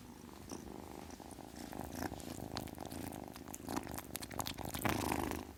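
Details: Continuous low, buzzing purr from a kitten, rhythmic and unbroken, with scattered faint clicks and soft noisy puffs growing louder toward the end.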